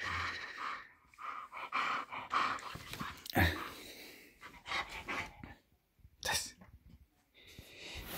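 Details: A female English bull terrier, woken in the morning, happily greets her owner with snorts, huffs and soft whiny grumbles.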